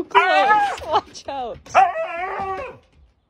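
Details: Crazy, hyperactive Siberian Husky vocalizing in several wavering, howl-like yowls that bend up and down in pitch, three or four bursts with brief breaks over about three seconds.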